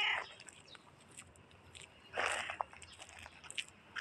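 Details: Black cat making a funny meow: a brief, bright meow at the start, then a louder, broad meow about two seconds later, with soft clicks and rustling in between.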